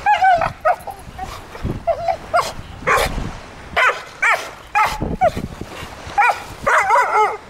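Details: A 15-month-old blue Staffordshire Bull Terrier playing wildly on the beach gives rising-falling whiny yelps and sharp barks in uneven bursts, some notes drawn out into a whine.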